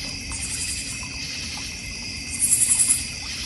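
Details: Crickets in a North Georgia Mountains backyard with a koi and goldfish pond, bird feeder and fire pit: a steady layered high-pitched insect drone, then a quick run of about six sharp, high chirping pulses near the end.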